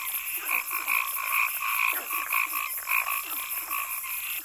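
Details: A chorus of frogs in a forest gives short, nasal, slightly rasping croaks, overlapping at roughly two per second, over a steady high-pitched insect drone throughout.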